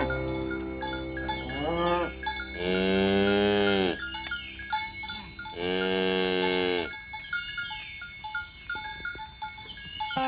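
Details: Dozens of fat, tame cows herded in the morning along village roads toward green pasture; two long, loud, harmonic moos of about one and a half seconds each, with clanking cowbells and steady background music throughout.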